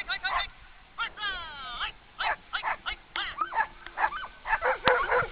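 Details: Borzoi dogs pulling a sled in the eastern mountains of South Korea, with bursts of high excited yips, a sliding whine and rapid barks, several dogs calling over constant background noise.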